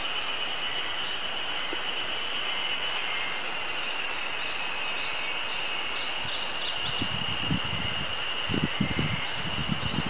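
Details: Ezo spring cicadas sing a steady, high, shimmering drone on a mountain on 24 May 2019, having just begun calling, with wind rumbling near the end and songbirds such as warblers and tits also singing.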